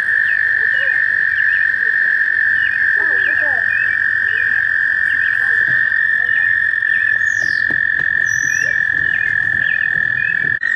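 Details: A warm May mating-season chorus of American toads in a shallow pond near Warbler Bridge at Wehr Nature Center: a sustained, level trilling drone, with brief chirps and a couple of higher whistled notes.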